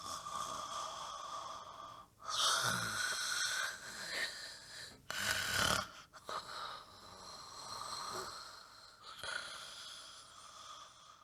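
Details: Relaxed dog snoring in deep sleep, recorded loud near the mic: irregular wheezy, whistling snores with two sharp snorting breaths, swelling and fading over about eleven seconds.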